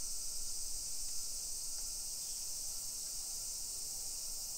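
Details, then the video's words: Many cicadas droning in a modern suburban neighborhood of Nisshin, Aichi Prefecture, Japan, on a summer afternoon, 28 July 2021, 1 PM; a dense continuous high buzz holds level throughout, with a faint thin tone and low street rumble beneath. "Summer Cicadas Sounds"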